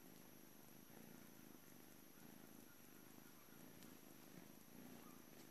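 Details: Morning purr from Juno, a blue-coated British Shorthair boy at the Calmcat cattery, departing for a new family today; deep continuous rumble pulsing with each breath, steady throughout.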